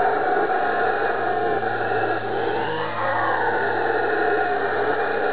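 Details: Howler monkeys on Ilha Grande, Rio de Janeiro, Brazil, give a deep, rasping, continuous roar that swells and fades without a break.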